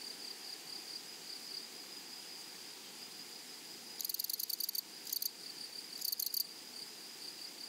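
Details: Grasshoppers in a flowery meadow: a steady high, thin hiss runs throughout, broken after four seconds by three short bursts of rapid, dry ticking pulses, each lasting under a second, over a faint, quiet background.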